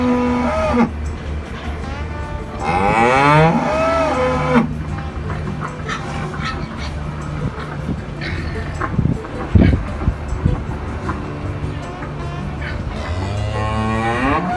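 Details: Farm cows mooing in a field: a wavering, rising moo early on, a long quiet stretch with faint knocks, then another moo climbing at the end, over soft background music.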